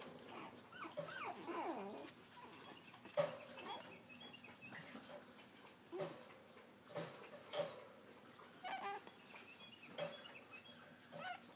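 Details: Pekingese puppies trying to climb a step give thin, high whimpers and short yips, with scuffling between calls.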